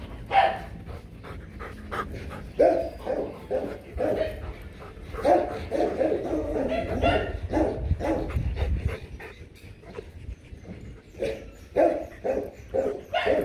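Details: Breeding session of Rottweiler pair Loki and Siro: clusters of deep, rough barks broken by whimpers and low rumbling, with a quieter middle stretch before barking resumes.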